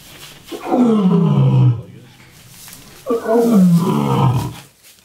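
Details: Ruben, a male lion left alone for over five years after a private zoo in Armenia closed, now in quarantine at an Armenian bear sanctuary, gives two deep roars. Each one slides downward over about a second, with a pause between them.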